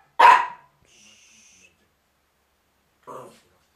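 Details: Miniature Pinscher at home in December 2009, chasing another dog off the rug: one loud, sharp bark, a faint thin tone, then a shorter, softer bark about three seconds later.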